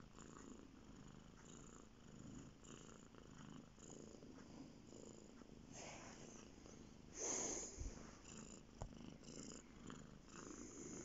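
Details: Bear, a male domestic cat, purring while lying on a bed indoors; a soft continuous low rumble runs throughout, with a brief louder rustle near the middle.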